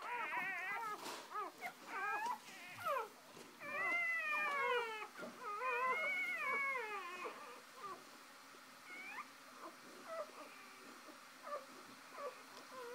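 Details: With the first three puppies just born, the mother dog is indoors with them. Sharp, wavering squeals and whines fill the first half, then fade to faint, scattered cries over a low background hum, with a person talking softly.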